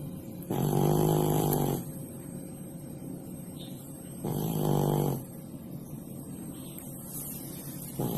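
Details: Pak Pak, one of twelve cared-for cats, snoring while asleep below the kitchen stove; two long, low, rasping snore breaths about three and a half seconds apart, with a third just starting, over a faint steady hum.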